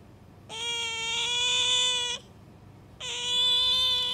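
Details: Two drawn-out shrill squeals from a pet otter, Bingo or Sakura, each lasting about one and a half seconds at a steady, slightly rising pitch, separated by a quiet pause.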